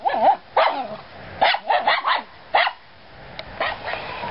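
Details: Dogs at play in a yard bark in quick, sharp bursts, several short yips bunched together, then a pause and a few more barks.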